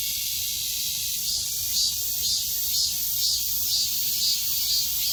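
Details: Chorus of cicadas at the height of summer: bright, sizzling high-pitched buzz, pulsing regularly about twice each second, with brief swells in loudness toward the end.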